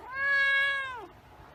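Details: White cat meowing indoors: one long, steady, tonal meow of about a second with rich even harmonics, ending in a quick downward slide; quiet room otherwise.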